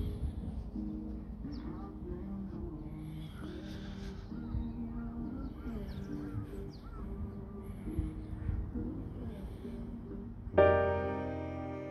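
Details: Soft background music with sustained low tones and light melodic notes, ending in a sudden bright ringing chord; no animal voice stands out.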